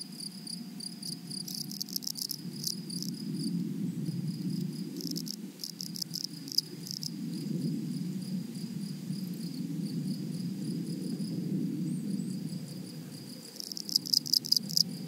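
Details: Grasshoppers in a flowery meadow or prairie: short buzzy, rasping bursts come in clusters around the third, sixth and final seconds over a thin, steady high insect tone, with a low rumbling background throughout.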